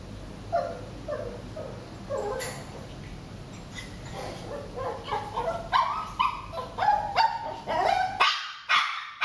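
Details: Shih Tzu during eye contact training, giving short yips and barks that start sparse and then come in a quicker burst of sharp, repeated calls over the last few seconds.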